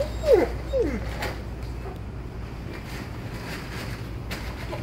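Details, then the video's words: Alaskan Malamute, impatient while out shopping, crying and complaining: two short high whining yelps with falling pitch in the first second, then a steady low background hum of the store. "Impatient Malamute Cries & Complains Like a Man When Shopping"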